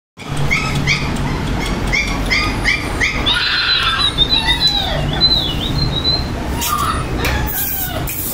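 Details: Dachshund puppies in Vijayawada, India: thin, high whines repeated about twice a second, then a longer wavering whine that rises and falls, over a steady low background hum.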